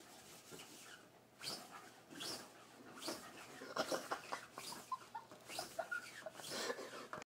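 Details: A corgi trying to bite a lint roller he dislikes huffs and snorts in short breathy bursts, mixed with brief high whines.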